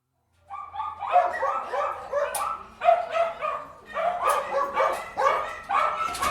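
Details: Dogs barking inside an indoor kennel: bursts of sharp, mid-pitched barks coming in overlapping runs, with roughly one volley every two seconds, echoing off hard walls.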